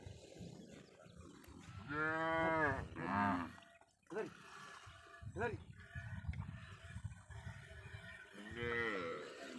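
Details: Stolen cattle brought across the Indian border onto a char of the Padma river, lowing in deep, drawn-out harmonic moos, one long call followed by shorter ones and another near the end, with people talking among the herd.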